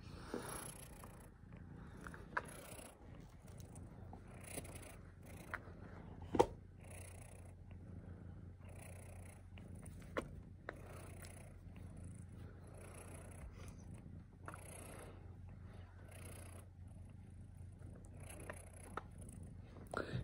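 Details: Domestic cat purring steadily, a continuous low rumble throughout with occasional faint clicks and rustles.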